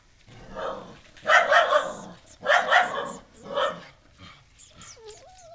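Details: Pet female dog at home barking at a new stray puppy brought in off the road, disliking him at first; bursts of loud, harsh barks in quick clusters, then a faint high whine near the end.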